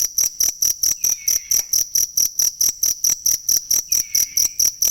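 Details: Cricket chirps for tutoring songbirds: a regular train of shrill, high-pitched pulses, several per second, with two faint downward-gliding whistles behind them.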